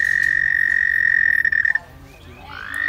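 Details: An American toad in Missouri gives a long, steady, high musical trill that holds one even pitch, a sound said to mean the toads are happy.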